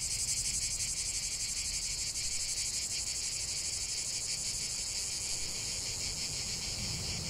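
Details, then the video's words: Cicada chorus outdoors in nature: an unbroken, piercing high buzz with a slightly wavering pulse, strongest early on, over a faint low rumble of background noise. "45 min de chant des cigales"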